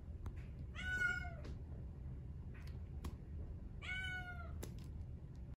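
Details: Male Exotic Shorthair kitten, brown tabby and white, born 4/6/2021, gives two clear harmonic meows about three seconds apart, each rising then falling, over a low indoor rumble with a few soft clicks.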